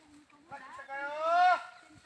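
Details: A goat lets out a single drawn-out bleat that swells and rises in pitch before cutting off abruptly, with soft background rustling before and after.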